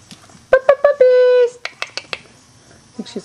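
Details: Three-week-old Weimaraner puppies, a litter out of Trixie and Clay, indoors while their mother looks for a spot to lie down and nurse: three short squeaks, then a steady held whine of about half a second, followed by softer chirps and faint squeals.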